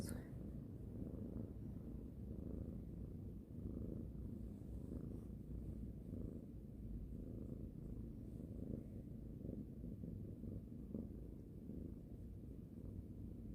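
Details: Domestic cat purring steadily while being stroked before sleep, indoors; a continuous low rumbling purr runs unbroken through the whole stretch with soft rhythmic pulsing.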